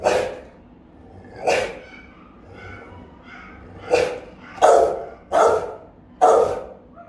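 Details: Rottweilers on house guard, filmed by a camera the dogs had discovered, with the mother Melsee's bark described as round, resonant and powerful and her pup Siro joining in; six loud barks at irregular intervals, clustered toward the end.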